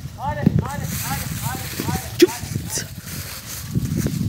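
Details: German Hunting Terrier (Jagdterrier) in Kosovo, filmed with a drone, giving a quick run of arched, yelping barks, about three each second, that stop after two seconds; steady low rumble, a sharp click and faint outdoor noise.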